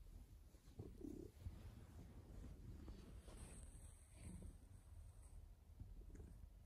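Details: Male pet cat, filmed indoors around tail-chasing play, giving a low, steady, continuous rumbling purr with even loudness throughout, a few soft rustles and faint higher hiss over the top.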